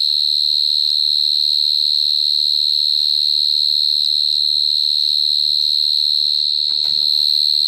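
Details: Cricket recorded close up, giving a continuous, steady, high-pitched trill that holds without a break, with faint low rumbles and a brief rustle near the end.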